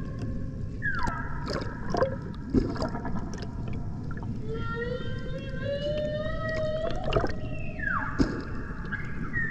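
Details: Humpback whales in the Banco de la Plata sanctuary off Puerto Plata, Dominican Republic, 2024: a falling moan, then a long slowly rising tonal whoop, then a sharp descending sweep, over low rumble and scattered clicks.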